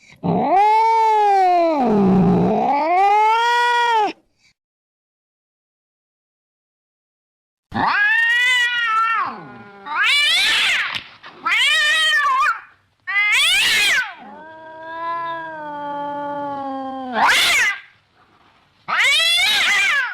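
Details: Domestic cat giving a series of loud, drawn-out harmonic meows and wails, some dipping then rising, others short and bright, separated by brief silences; played to scare rats and mice away from a house.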